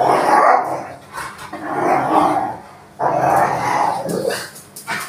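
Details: Rottweiler protecting a toy; long, rough, low growling snarls in three drawn-out bouts of about one and a half seconds each, separated by brief pauses, loud and close.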